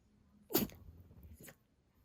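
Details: A Shiba Inu caught in a sneezing fit lets out a single abrupt, forceful sneeze, followed by a short snort-like exhale.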